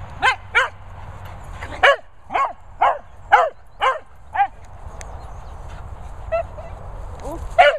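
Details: Cocker Spaniel playing with a Vizsla at a Worcestershire countryside kennels, England; a run of seven loud, clipped barks roughly every half second, then quieter scattered yips and a final bark, with faint low rumble behind.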